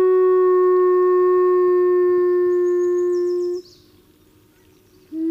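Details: Wolf howling in the wild at Glacier Bay, recorded for a soundscapes project: one long, steady, pure tone held flat for about three and a half seconds, then fading away, with a second howl starting at the end.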